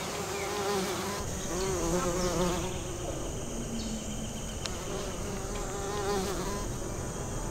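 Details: Western bumblebees working American basswood blossoms. Overlapping buzzing drones slide up and down in pitch and swell and fade as bees pass close, with one sharp click near the middle.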